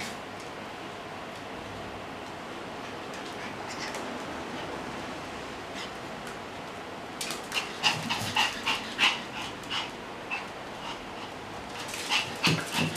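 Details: Male Pomeranian on a trial day at a dog daycare. About seven seconds of quiet room noise, then a run of short, sharp, high yips or barks, roughly two per second, continuing to the end.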